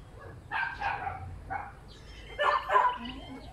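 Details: Puppies letting out a few bursts of bright, harmonic yapping barks, separated by quieter gaps, over a low background rumble.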